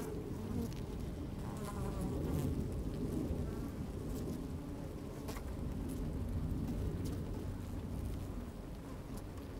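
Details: Honey bees working in an open hive, recorded with a microphone lowered into the hive on a sunny day with some wind: thick, continuous deep drone, slowly rising and falling, with scattered crackles.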